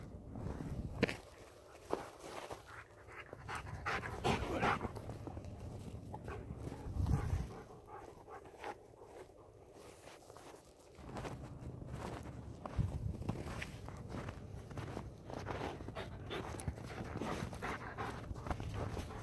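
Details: Dogs, a Blue Bay Shepherd named Kurgan and a German Shepherd named Lobo, on a midnight February hike through the Mississippi River valley in a heavy snowstorm, around 15 degrees. Quick, breathy panting runs over crunching footsteps and wind.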